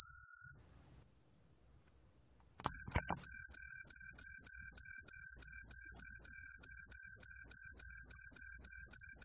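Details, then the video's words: Green tree cricket from National Institute of Biological Resources recordings, 2020: a brief high chirp, a pause with a few low knocks, then steady bright pulses repeating about three times per second. "청솔귀뚜라미, 여러번 듣기, 곤충소리"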